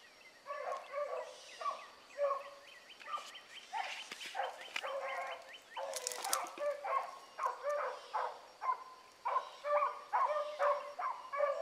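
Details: A pack of young hounds chasing a rabbit one morning, with Ringo, Mingo and Choco in the lead, voicing rapid choppy bays that tumble over one another in a fast, uneven run. A brief rustling burst sounds midway.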